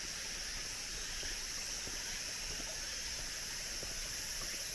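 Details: Cicadas still calling at the end of summer along a cool mountain forest road; a steady, dense high buzzing drone fills the air without pause, while soft footsteps crunch on gravel and stone paving underneath.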